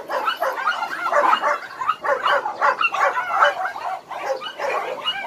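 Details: Dense chorus of rescued dogs at Hanna's shelter in Daegu, with loud overlapping barks repeating several times a second, some higher yips mixed in, all steady and crowded throughout.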